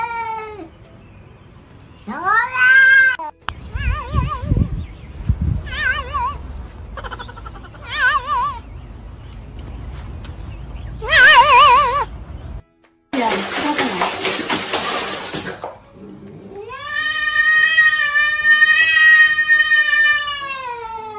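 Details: Domestic cat 'talking and yelling' like a human: a series of short rising meows and wavering, quavering cries, a brief burst of rough noise, then a long sustained yowl held for several seconds at the end.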